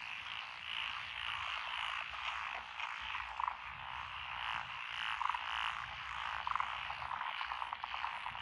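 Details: Frogs in lotus rice paddies on a country road, Echizen, Fukui, Japan, 12 June 2021; thick continuous croaking background with several sharp, louder calls cutting through in the second half.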